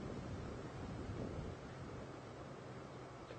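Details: Steady roaring wind buffeting the microphone, with no animal voice.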